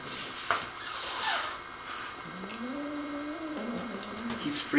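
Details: Nigel, a dog unsettled by the feather on his new toy, gives a rising, sustained low growl that steps down in pitch and trails off, with soft human voices and scattered knocks in the room.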